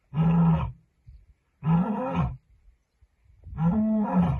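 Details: A lioness roaring to send a message: three deep, loud, moaning roars, each about half a second to a second long with a strong low tone, separated by brief pauses and soft grunts.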